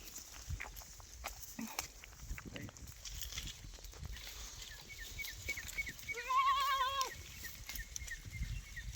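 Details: Free-range goat on a goat farm in Kolwadi gives a single loud, wavering, quavering bleat lasting about a second, midway through, against steady rustling, scattered clicks and faint human voices.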